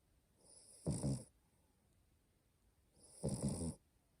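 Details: Sleeping female French Bulldog puppy, born April 2020, snoring indoors: two loud, raspy, rumbling snore bursts about two and a half seconds apart, each lasting under half a second, with quiet breathing between.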